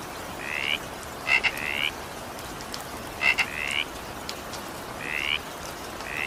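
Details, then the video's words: Frogs calling during evening rain: short rising, rasping notes in pairs, some with sharp clicking double bursts, roughly every one to two seconds over a steady hiss of rainfall. "evening rain sound effect with frog sound"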